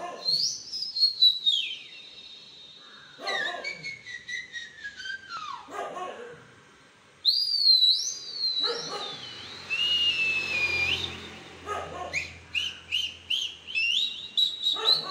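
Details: Indian Spitz puppy reacting to a sound: long, drawn-out whining howls that slide downward in pitch, repeated several times, broken up by sharp high whistles and a stretch of rough noise.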